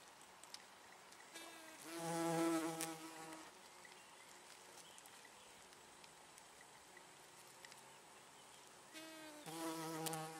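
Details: Female hoverfly Chrysotoxum cautum laying eggs in chalk downland habitat: two droning buzz bursts with a low harmonic hum, one around two seconds long early on and another near the end. The middle stretch is quiet background.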